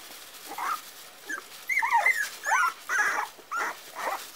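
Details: Four-week-old Parson Russell Terrier puppies giving high, whining whimpers and yips in short bursts, about seven separate cries over four seconds, some sliding down in pitch, over a quiet background.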